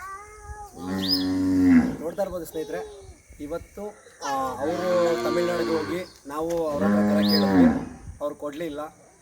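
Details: Hallikar cattle, described as Karnataka's number one breed, giving three long, drawn-out moos with deep, rich harmonics, each rising then falling, spaced about three seconds apart, with brief murmurs and rustling between calls.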